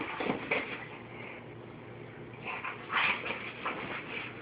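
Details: Pit Bull dog named Kameron, indoors, worked up over pig ear treats and unhappy at having one taken away, giving strained, high-pitched whining and grumbling bursts that swell and fade over a few seconds.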